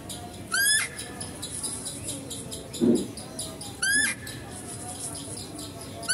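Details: Female deer at a zoo, heard while a male deer is being fed: two short, high, bright calls rich in overtones, each sliding upward then levelling, about three seconds apart, with a brief low murmur between them over steady background hum.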